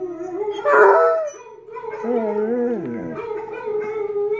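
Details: Basset Hound howl, a wavering tonal wail that rises briefly then falls and bends, held for several seconds with strong harmonics.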